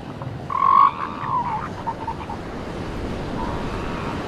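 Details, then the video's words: Seal pups on a beach: one loud, wavering wail lasting about half a second, followed by fainter, shorter calls, all over steady surf wash. "Beach with Seal Pups"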